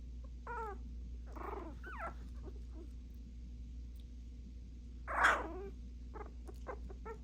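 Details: Puppies barking at each other. Short falling yips and a squeal come early, then one loud rough bark after a quiet gap, then a string of tiny clicks and yaps, over a low humming background.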